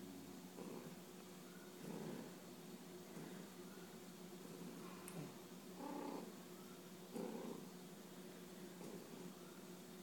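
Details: House cat rubbing its head against its owner while purring, a low rumbling purr pulsing roughly every one to two seconds, with a few faint clicks and rustles.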